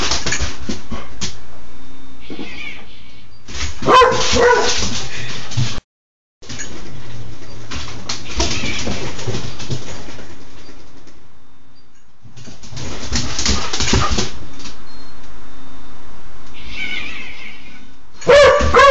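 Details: Raynor, a six-month-old pet dog indoors, dated 11-07-10, alarmed by a microwave turntable's noise, running room to room barking to find it; short whining notes and broadband bark bursts separated by pauses, with household rattling between.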